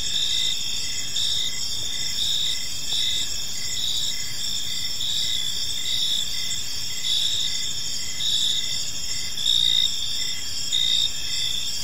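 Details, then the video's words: Evening park chorus of crickets: continuous high-pitched trilling with regular short chirps about once a second, multiple callers layered together over soft low environmental rumble. "Cricket Sounds in a Peaceful Park"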